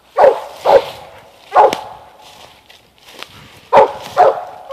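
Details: Eight-month-old Mountain Cur pup treeing; loud barks in pairs and singles with short pauses between, some faint knocks and rustling outdoors.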